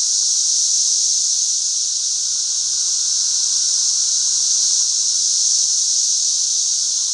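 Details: Periodical cicadas, the 13-year locusts, swarm by the thousands through a back yard, producing a continuous shrill, hissing drone that stays even and unwavering from start to finish.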